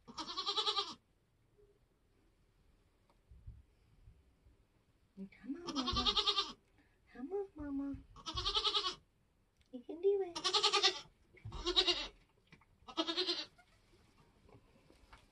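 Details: Nigerian Dwarf goat giving birth on a homestead in kidding season: a run of six harmonic, bleating cries, the later ones quickly repeated about a second apart, mixed with low human voices and thumps.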